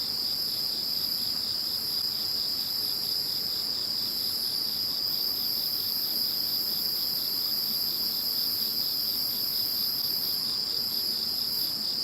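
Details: Insects calling after Typhoon No. 21 has passed: a dense, continuous high-pitched chorus of steady trilling and ringing tones layered at several pitches, with a faint pulsing texture and no other clear sounds.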